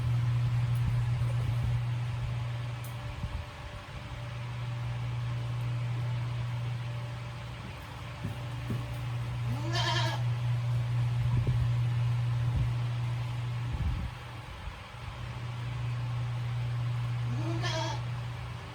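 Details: Female Tokara goat Sakura, kept at the handmade Yoshigake goat farm in Himi, Japan, sitting in a fan's breeze on a hot 9 August 2020; two brief quavering bleats about eight seconds apart, with a constant fan drone and some human talk.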